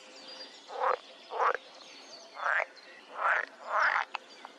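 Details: Male edible frog calling while held in the hand, outside the breeding season, its vocal sacs at the sides of the head reduced: five short, rasping, slightly rising croaks about half a second long, spaced roughly every 0.6 seconds.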